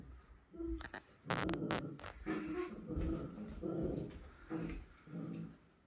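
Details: A Miniature Schnauzer tries to coax a Pit Bull into play with a series of low, throaty, grumbling growls. Sharp clicks and knocks come early, then half-second vocal bursts repeat roughly every second.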